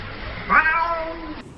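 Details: A cat during a fight gives one short yowl, a harmonic cry that jumps up sharply, then slides slowly downward and fades after about a second, over a low background hum.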